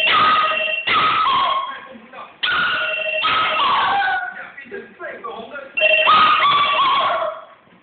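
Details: Curly the Poodle answers a ringing bell with 'ah woo' howls indoors: wavering, gliding cries repeated several times between bright, sustained bell tones, with people talking throughout.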